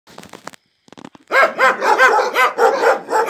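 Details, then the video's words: A laika dog barking in a village in the Urals, Russia: a quick run of loud, sharp barks about four per second after a second of faint quieter sounds. "#собака #лайка #лает"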